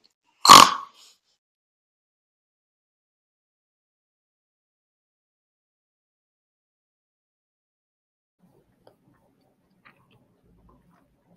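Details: Domestic pig sound played in a farm-animal vocabulary lesson: one short, rough grunt near the start, then long silence with only faint clicks.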